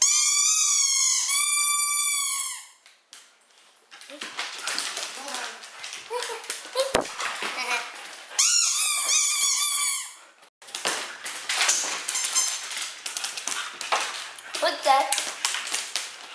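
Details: Siberian Huskies indoors in a small room, playing with and chewing plastic bottles; a drawn-out, wavering whine-howl opens, then bottle crackling and crunching with a person's talk, before another long whining yowl and more crinkling.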